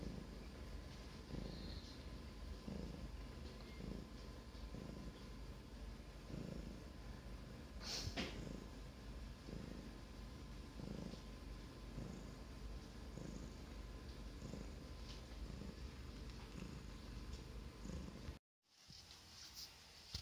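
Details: Pet Russian blue cat, grey, purring at home in a steady low vibrating drone with regular pulses roughly every 1.2 seconds, one brief rustle midway and a sudden cut near the end.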